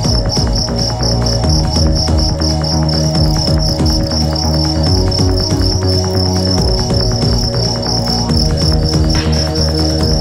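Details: Fighting cricket from Bandung under test: continuous fast pulsed high chirping, steady and unbroken for the whole stretch, set against strong low humming tones and layered background noise.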